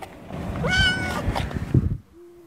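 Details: Kitten trapped inside cushioning material on a quay in Tosa, Kochi, Japan, with its mother cat nearby during a three-hour rescue by firefighters in September 2021. It gives one clear meow that rises then falls, over rumbling background noise.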